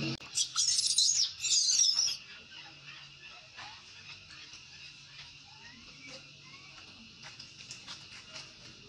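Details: Baby monkey crying as its mother refuses it milk: shrill, quavering high-pitched screams in rapid bursts over the first two seconds, then a quieter stretch with faint scattered chirps and a steady background tone.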